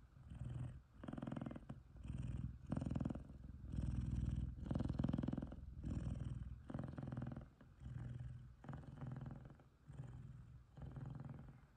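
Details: Loud, contented purring from an F2 Savannah cat named Kumba, cuddling with another F2 Savannah male, Taj, indoors: a deep, rumbling low purr in steady breathing cycles, swelling and fading roughly every second with short pauses between.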